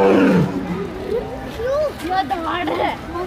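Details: A tiger in a zoo gives a deep, rough roar that fades quickly, followed by people's voices.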